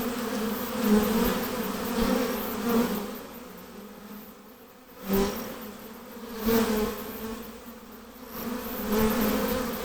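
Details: Many honey bees near the hive give a continuous low buzzing drone, rising in loudness in waves every couple of seconds as bees fly past, with a brief dip midway.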